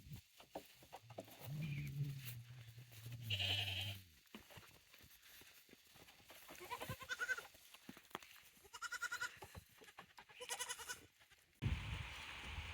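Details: Goats at a handmade goat farm with a newly built playground, 9 May 2024. A long low wavering bleat around one to four seconds, followed by brief higher calls, knocks and rustling, ending in a burst of noise.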